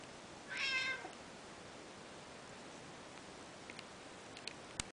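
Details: Playing Peterbald kitten aged two and a half months utters a single short, high, tonal meow, then only quiet room noise with a few small clicks and taps.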